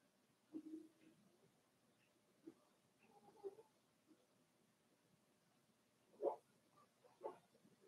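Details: Four-week-old Cavalier King Charles Spaniel puppies of Daisy's litter in their puppy pen, giving soft scattered grunts and brief low whimpers, then two sharper squeaky yelps close together near the end, over an otherwise quiet room.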